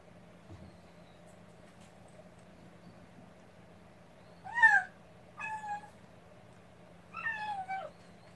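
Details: Rescued kitten, newly taken in and held warm against its carer during a live stream, gives three falling, harmonic meows: a loud one, a shorter second, then a wavering third, over a steady low electrical hum indoors.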